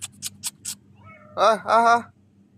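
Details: Three domestic cats in Qatar greet their owner, who has just come home after finishing a work shift. A few soft lip-smacking kissing clicks come first, then two loud, drawn-out, rising-then-falling meows in quick succession.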